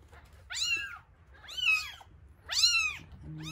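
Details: One-week-old rescued kittens at feeding time, eyes just beginning to open; loud, high, arching mews repeated roughly once a second, each rising then falling, with a brief low hum at the end.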